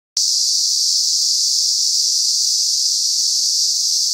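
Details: Thousands of cicadas calling together in Lokobe Reserve on Nosy Be, Madagascar: a dense, steady, high-pitched hiss that starts abruptly after a brief silence and holds unbroken at an even loudness.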